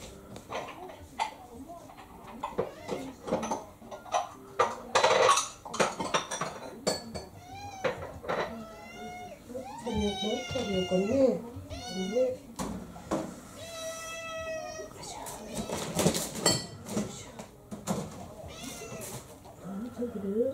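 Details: Domestic cats in a six-cat household as a young adult female mixed-breed cat launches a fierce attack on an older male; drawn-out wavering meows cluster mid-clip amid a woman's talking, laughter and clinking household sounds.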